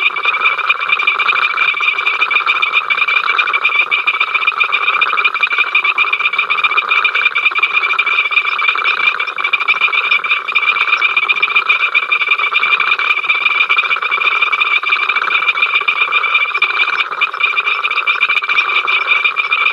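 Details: Frog chorus at Ol Donyo from the africamLIVE live cam, 05 October 2023: a continuous wall of overlapping pulsed croaks and ringing trills, constant in loudness throughout, with no other sound standing out.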